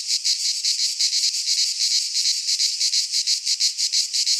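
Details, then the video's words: Midsummer cicadas in a pine forest in Greece sing a loud, shrill buzz broken into rhythmic pulses, about three per second, throbbing evenly throughout. "Cicadas singing in midsummer - Nature sounds from the Greek fauna - Sounds of cicadas"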